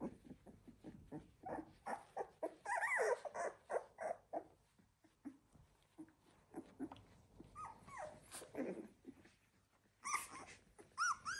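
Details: Labrador Retriever puppies from one litter, 16 days old, giving rapid, overlapping high whines and squeaks. The cries are uneven, with several rising-falling wails near the start and end and short pauses between bursts.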